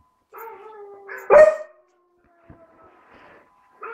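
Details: Young tricolour basset hound, four months old, practising its howl: short wavering howl notes, then one loud sharp bark-like yowl, a faint click and a quiet tail of soft vocal sound before another brief howl begins.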